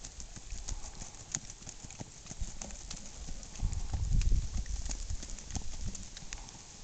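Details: Hoofbeats of a Tennessee Walking Horse stallion: irregular dull thuds and sharp clicks, growing louder and heavier in the middle as steps come closer, then easing off again, with a faint background hiss.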